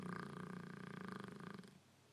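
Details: Sleeping Neapolitan mastiff snoring: a low, rumbling, fluttering breath that holds steady for about one and a half seconds and then fades, with a faint hum in the background.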